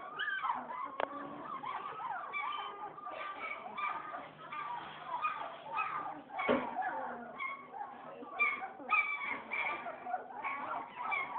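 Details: Litter of German Shepherd puppies about two weeks old, born in late December, giving a steady overlapping chorus of thin whimpers, squeaks and yips that rise and fall, with occasional faint human voices.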